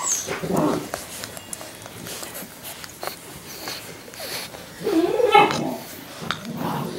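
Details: Labrador Retriever puppies in week five give short, rough growly grunts and whimpers, then a brief burst of higher, squeaky yelping around the middle-late part, with scuffling and rustling throughout.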